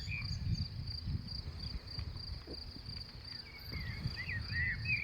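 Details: Grasshoppers stridulating in a meadow in May: a thin, high, steady pulsed buzz repeating rapidly throughout, with scattered bird chirps and twitters above and low rumbling wind underneath.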